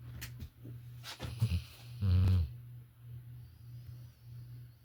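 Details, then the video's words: Sleeping Labrador Retriever named Violet snores with a low steady drone, interrupted by rustling movement and a short, louder snorting breath in the middle. "Beautiful Labrador Retriever Sleeping & Snoring"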